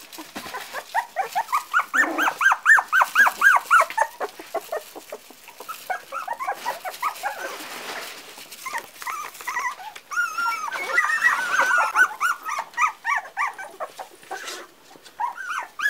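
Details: Four-week-old Parson Russell Terrier puppies whimpering and yelping together, a rapid overlapping stream of short rising-falling squeals with a lull near the middle before the chorus picks up again.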